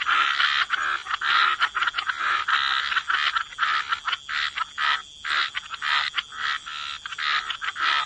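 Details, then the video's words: Wetland frogs chorusing by the water, their croaks rapid and rattling, packed into uneven bursts that nearly overlap, with one clear pause around the fifth second. "Relax to the Sound of Croaking Frogs"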